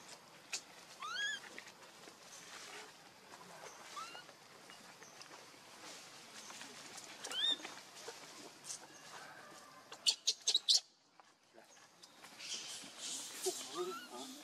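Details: Hungry infant monkey named Leo pleading with its mother for milk, giving short arched squeals that rise then drop, spaced a few seconds apart, then sharp clicks and a burst of rustling.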